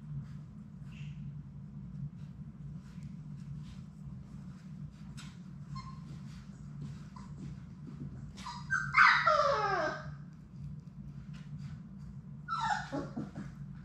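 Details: Six Labrador Retriever puppies at play in their indoor play room, live puppy cam: two loud, high yelping whines sliding downward, the first drawn out, the second shorter, over a steady low hum and soft scuffling.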